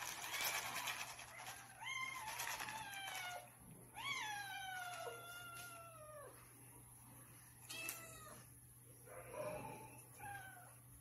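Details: Hungry pet cats asking for food in the morning, each with its own meowing style; drawn-out harmonic meows that slide down in pitch come in quick succession, overlapping at times, with a faint steady hum behind.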